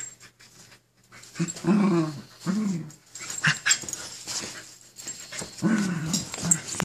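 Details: Two Keeshonds play-fighting indoors for control of the bed: short low growling bursts in several bouts, with rustling and scuffling between them.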